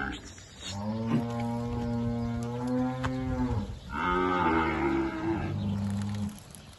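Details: Two cows at a livestock auction lot give steady, sustained deep moos, a long even lowing lasting about three seconds followed by a second rising, then falling moo.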